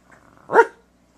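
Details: Shasta, a female rescue dog almost seven years old, gives one short, sharp bark lasting about a quarter second, bright and harmonic, in an otherwise quiet indoor setting.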